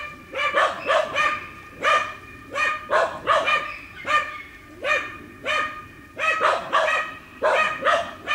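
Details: Two dogs bark at wild boar in a boar training enclosure: short, clipped barks in twos and threes, separated by brief gaps, sustained throughout.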